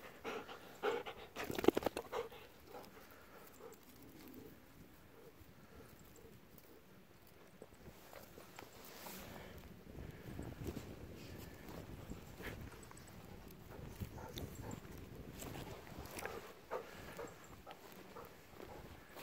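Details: Golden Retriever on a midday walk on March 22, starting from a hut, going through a friend's rice field and down to a stream. Rhythmic breathy panting runs through most of the recording, with footsteps and rustling outdoors.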